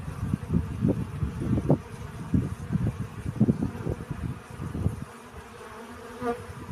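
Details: Bee gathering pollen: low, pulsing drone in short uneven bursts for about five seconds, then a quieter steady hum with one brief brighter tone near the end.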